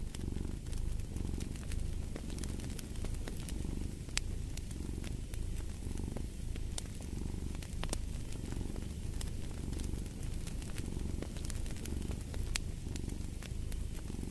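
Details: Domestic cat purring steadily, a low rumbling drone with a slow pulsing swell roughly every second, mixed with the sharp pops and crackles of a fireplace burning nearby.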